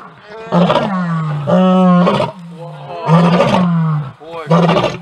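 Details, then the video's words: A lion leading its pride and setting its own order, during evening chases: four deep, moaning roars, each a low drawn-out groan with a rough, rising onset, spaced roughly a second apart. "Leader lion sets own order!"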